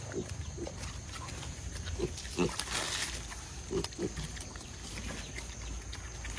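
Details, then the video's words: Striped brown wild boar piglets forage in a garden beside their mother, giving short, soft, scattered grunts over rustling and a steady high whine; they are semi-wild, raised for breeding. "Đàn lợn rừng con lon ton kêu ụt ịt kiếm ăn trong vườn"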